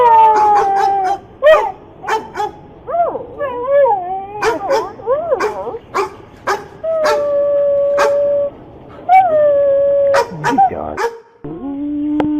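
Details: Dogs bark in sharp repeated bursts while long wavering howls slide up and down between them, with short gaps of quiet.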